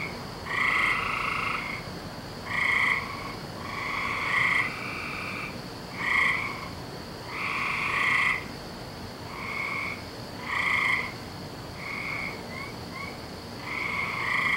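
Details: Several frogs calling through a May night, 17 May 2012: a long run of short to second-long buzzy trilled croaks, loosely spaced and overlapping between callers, with a faint steady hum beneath.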